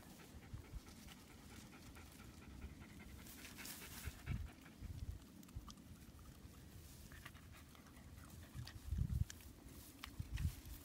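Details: Small Cairn Terrier panting softly while picking and eating brambles (blackberries), low breathy rasps running steadily throughout, with a few louder bumps around the fourth and ninth seconds.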